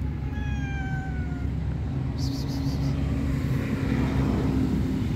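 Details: Shy stray street cat waiting to be greeted, giving one drawn-out falling meow, rich in harmonics, over a steady low rumble of traffic and a brief hiss of passing noise.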